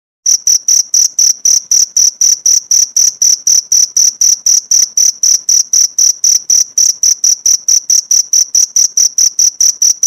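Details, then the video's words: Rapid, metallic cricket chirps for training pleci songbirds, starting after a brief pause and running as an even train of high pulses, about four to five per second, nothing else audible. "Masteran jangkrik untuk isian burung pleci"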